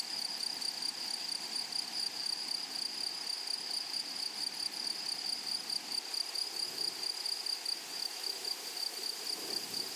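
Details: Meadow grasshoppers on a flowery prairie produce a constant, piercing high buzz with no pauses, a thin upper overtone running alongside. Near the end, faint low rustling or rumbling rises under the insect chorus.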